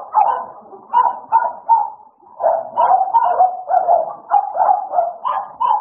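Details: American Bully dogs Idol and Alice at play: a run of short, gruff barks and growly yips in quick bursts, pausing briefly near the two-second mark before the rough, repeated vocalising resumes steadily to the end.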